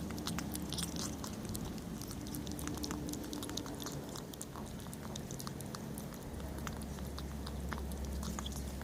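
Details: Kitten eating and making funny noises: rapid, irregular crunching and chewing clicks, roughly three or four a second, over a steady low hum in a small room.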